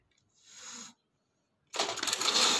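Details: Domestic cats in a short fight, Jordan: two breathy, hissing bursts, a softer one lasting about half a second, then a pause before a louder, harsher, sustained hiss.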